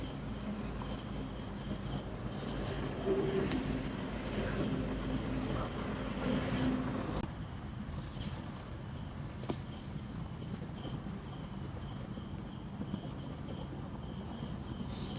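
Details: Night crickets giving high-pitched trilled chirps in a steady pulse, about one every half second to second, with a low continuous rumble underneath and a brief faint whine partway through.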